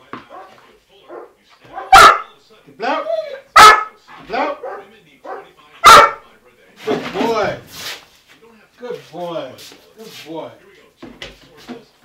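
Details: Dog in stay-and-bark training, giving sharp single barks about every one to two seconds, loudest near two, three and a half and six seconds, while a trainer speaks between them with praise.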